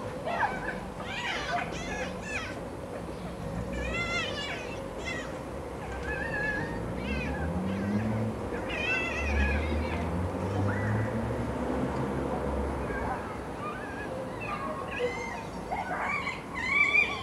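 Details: Sunbathing foxes trade a long run of excited wavering squeals and chattering cries, bursts repeating every second or two, over a steady low rumble. The calls are said to be the same as fox mating noises.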